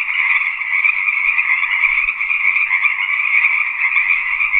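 Frogs give a steady, high, buzzing trill that carries on without a break.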